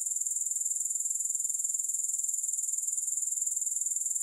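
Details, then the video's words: Grasshoppers in a steady, very high-pitched shimmering trill, rapidly and evenly pulsed, with no break and no other sounds. "Grass Hopper Sounds"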